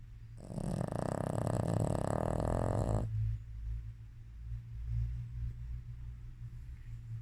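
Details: Shih Tzu in deep sleep snoring: a single long rasping snore with a harsh, broad buzz lasting about three seconds, then quieter low, uneven breathing against a steady low hum.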